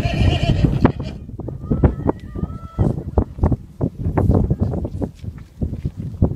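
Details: Welsh ponies, a group on Gelligaer Common in South Wales, described as starving, crowd in to be fed; a short, thin tonal whinny sounds midway through, almost buried under constant thudding hooves, shuffling and crunching feed noises.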